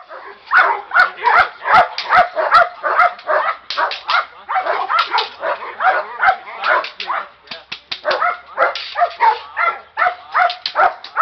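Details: Young Presa Canario being deliberately agitated during training, barking hard and fast in a dense, almost nonstop volley of harsh, loud barks, with some human speech mixed in.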